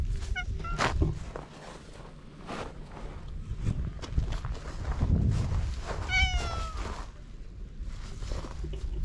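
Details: Stray cats on a Japanese cat island about to start fighting, recorded on a GoPro HERO8: two short falling meows, one early and one near the end, over rumbling outdoor background noise.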